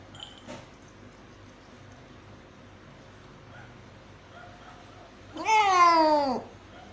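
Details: Domestic cat giving birth to five kittens gives one long, drawn-out meow with rich harmonics, rising then slowly falling, after a stretch of quiet room noise.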